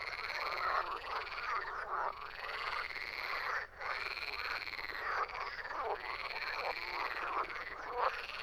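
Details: Frogs calling in a dense group, giving rolling, raspy croaks in repeated arching bursts of about a second each, with a short lull near the middle.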